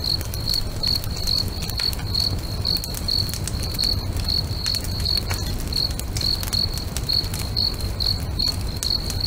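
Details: Lakeside crickets at sunset chirp in an even, high-pitched train, about two pulses each second, while a bonfire crackles with scattered snaps and a soft low roar underneath.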